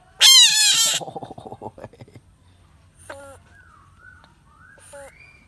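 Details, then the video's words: Screaming bullfrog: a loud, harsh, harmonic scream lasting under a second, then a fast run of rasping pulses that fade out, followed by a few faint, nasal, honking calls from another animal. "Funny bullfrog sounds screaming frog"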